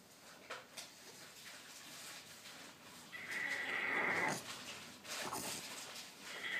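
A French Bulldog whines and 'talks' in high, drawn-out tones, asking to be let out of its cage.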